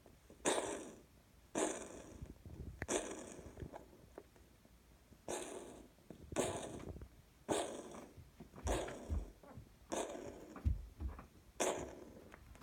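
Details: Pistachio, a cat, coughing in June 2018: a run of harsh, explosive hacking bursts, each a broad rasping blast lasting under a second, repeated roughly every one to one and a half seconds, with quiet gaps between them.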